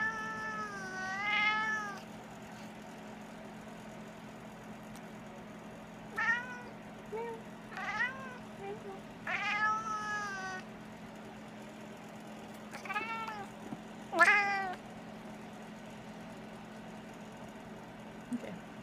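A Maine Coon cat gives short bursts of chirping, chattering meows, separated by pauses, over a steady low hum.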